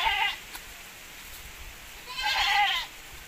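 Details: Goats of a Javanese and Boer crossbreed on a breeding farm: two short wavering bleats, one brief at the start and a louder quavering one near the end, with quiet background between.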